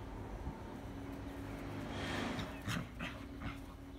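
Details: Irish Terrier in spring, giving three short, sharp yips close together near the end, each a bright broadband burst, over a steady low electrical hum and faint background rumble.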